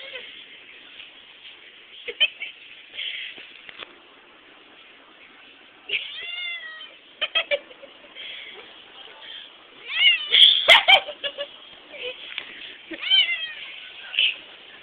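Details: A pet cat meowing while its owner deliberately annoys it: scattered short meows, some wavering and falling in pitch, with a louder cluster of harsher, strained meows midway and faint human voice in the background.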